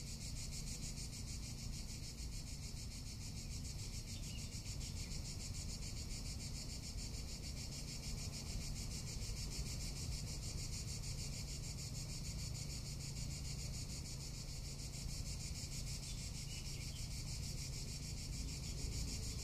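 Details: Long, even stretch of cicada song from a Tuscan summer: a dense, sizzling buzz beating in rapid pulses throughout, never stopping, backed by constant low wind rumble.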